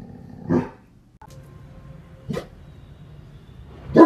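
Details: Great Dane barking at his owner; three short, separate barks spaced about one and a half to two seconds apart over a steady low background hum.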